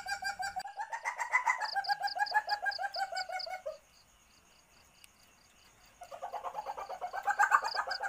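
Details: Asian palm civet in heat, its mating call used to lure others: rapid throaty clucking for several seconds, a pause of near silence, then the clucking resumes, while high rapid chirps run along above.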